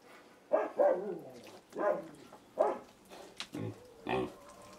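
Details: Little pigs in China giving a run of loud, rough, harmonic grunts about every half second to second, some squealing, with short low snorts toward the end.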